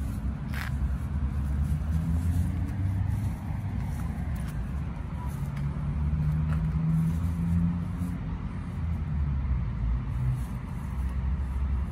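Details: Continuous low road-traffic rumble from passing cars outdoors at night, with faint scraping and no animal sound.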